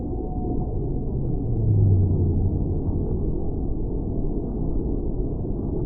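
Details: Whale voice: a deep, steady moan swells for about a second in the middle, after a short high tonal note at the start, all over dense low underwater rumble.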